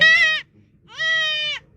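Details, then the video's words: Goat bleating twice, a short loud nasal bleat followed by a longer, steady one after a brief pause, in an otherwise quiet setting. "ছাগল তুলানো"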